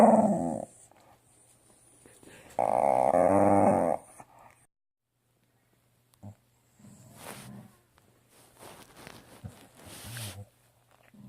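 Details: A female Staffordshire Bull Terrier grumbles and groans in loud, harmonic bursts, answering her owner's firm "no", as she does whenever told no.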